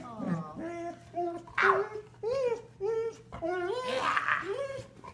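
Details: Indoors, female Golden Retriever Rocket, recently injured with severed tendons, greets an old friend with drawn-out, bending whine-howls that slide up and down, some gargly and breathy, mixed with short human speech.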